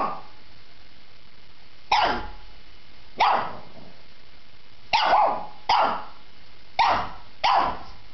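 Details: Shih Tzu dog barking repeatedly, six or so loud yappy barks at uneven intervals of about one second, each with a short ringing tail.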